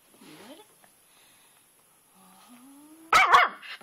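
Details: A pet dog named Twitch, obsessed with a rock in a flower bed during rain, lets out a rising whine, then a quiet pause and a sudden pair of loud, harsh barks near the end.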